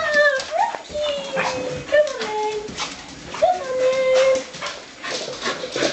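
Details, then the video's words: Soft Coated Wheaten Terriers, five dogs, doing the Wheaten greeting: excited, sliding whining yelps and yodel-like whimpers, some rising then falling, overlapping amid clattering and a human voice. "The Wheaten Greeting"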